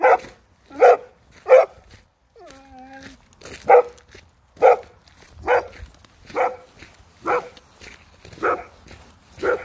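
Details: German Shepherd dog scared by another dog, barking in a steady series of about ten loud, sharp barks roughly one second apart, with a short pause near the start where a faint tonal sound is heard.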